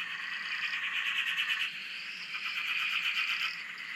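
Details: Frogs calling together on a dam in Australia, heard from a shack: a dense buzzy pulsing chorus with higher rising whistle-like notes layered on top, continuous through the clip.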